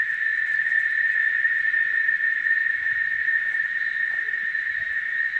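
A chorus of cicadas makes a continuous, high buzzing hum that never pauses or changes pitch. Faint low rumbles and a few soft background noises sit beneath the drone.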